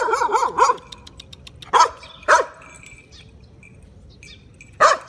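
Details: Shiba Inu dog barking while confronting a cat: a quick burst of three sharp barks, then two single barks near the two-second mark and one more near the end, with quiet room noise between.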